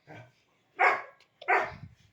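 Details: Pet Labrador Retriever at play lets out a short soft woof, then two strong, harsh barks in quick succession roughly 0.7 seconds apart, indoors with little background noise.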